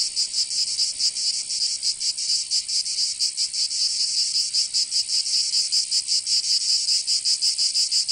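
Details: Cicadas singing in summer in Provence, southern France: a dense, high, buzzy rasp pulsing about two to three times per second, steady throughout with no other sounds.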